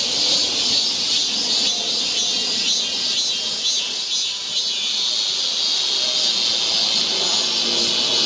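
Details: On a forest trail in Seoul during Korean summer, cicadas keep up an intense, sizzling high buzz that wavers slightly in strength but never stops, filling the whole woodland soundscape.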